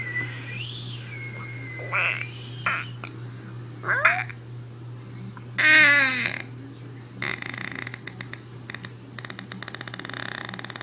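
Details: Puppy making weird noises indoors: a series of short, varied squeaks, rising yelps and harmonic whines, followed by rapid, buzzy, rattling sounds.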